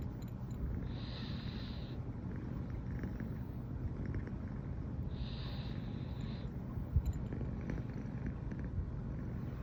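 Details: Riri, a female brown tabby American Shorthair cat born 15 September 2020, purring nonstop in the morning after first sleeping with her owner: a soft, low, continuous rumbling with two brief higher hissing sounds.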